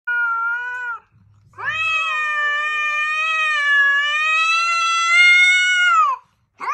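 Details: Scared cat giving a warning: long, loud, drawn-out harmonic yowl lasting about four and a half seconds, held steady then falling at the end, preceded by a shorter wail and a brief pause.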